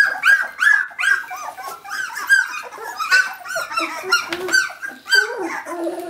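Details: Several 17-day-old puppies calling for their mother indoors, a dense chorus of high, squeaky whines and yelps with rising and falling pitch, overlapping continuously in short bursts.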